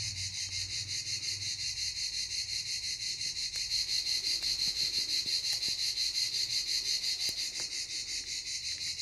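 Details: Cicada chorus at Canet-en-Roussillon: a continuous shrill buzz throbbing roughly three times per second, swelling slightly in the middle, with faint scattered clicks underneath.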